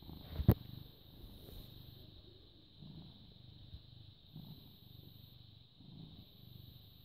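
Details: British Shorthair cat, born 18 August 2010, recorded 14 May 2017 at 09:16, purring quietly: a low rumbling purr swelling in breath cycles roughly every one and a half seconds, a sharp click near the start, and a steady high-pitched electrical whine throughout.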